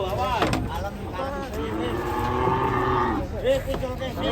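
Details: Cattle described as angry while coming down from a truck, giving drawn-out harmonic moos over a busy background of vehicle rumble and brief human voices.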